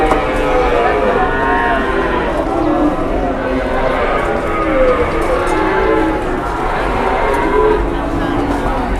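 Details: Big cattle in Indonesia, out of control and agitated while being unloaded from a truck; long droning moos overlap almost without pause, with a man talking and handling noise beneath.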